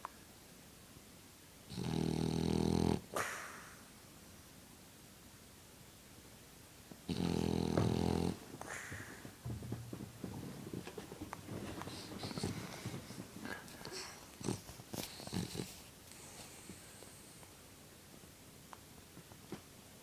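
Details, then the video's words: French Bulldog snoring and blowing bubbles indoors: two rough buzzy snores about five seconds apart, then a stretch of small clicks, smacks and faint rustling noises. "Funny French bulldog snores and blows bubbles"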